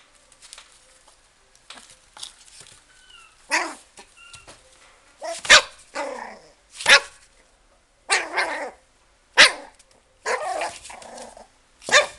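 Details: Toy Poodle at a pet shop, soft whines at first, then loud high barks spaced roughly every one to two seconds, with quieter yips between them.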